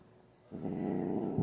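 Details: Domestic cat, a usually calm female, growling while grumpy during nail clipping indoors; a low, rough, steady growl begins halfway through and continues to the end.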